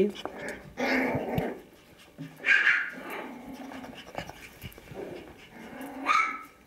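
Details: Five-week-old Kooikerhondje puppies from Quita's litter goofing around indoors: rough, noisy play growls and a few short high yips in bursts, with a woman speaking Finnish in between.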